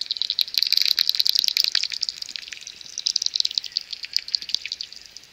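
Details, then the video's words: Dense, rapid ticking pulses from about seventy common pipistrelle bats swarming near their maternity roost in the early morning before sunrise, crowding into a steady high band with loud bursts that fade and return. "70 swarming common pipistrelle bats"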